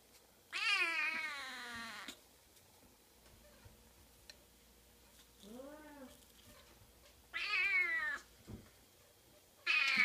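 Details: Oriental shorthair kitten meowing indoors: three loud, harmonic-rich meows with a falling, bent pitch, plus one softer, lower arched mew near the middle, separated by quiet pauses.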